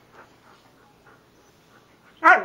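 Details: Siberian husky talking with its owner: after quiet murmurs, one short, loud, harmonic yelp-like vocal bursts out near the end, bending down in pitch.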